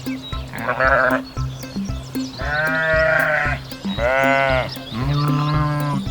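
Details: Sheep named in a Kazakh lesson on farm animal sounds, giving four repeated wavering bleats, each about a second long and roughly a second apart, over cheerful children's music with a steady beat.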